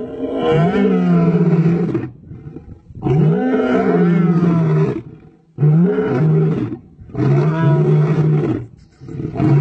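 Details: Powerful roaring of a male lion: four long, deep, throaty roars, each about two seconds, separated by short gaps, with a rising then falling tone within each roar.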